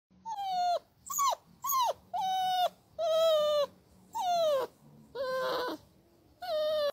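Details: Puppy giving a run of high, clear whining yelps, each about half a second, many bending downward at the end, repeated roughly every second with short silent gaps.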